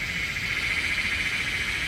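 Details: Cicadas in forest along the Mawryngkhang bamboo trek in Meghalaya, India, heard while climbing: a steady, dense, high-pitched buzzing drone with a thin sustained whine running through it, no breaks or pulses.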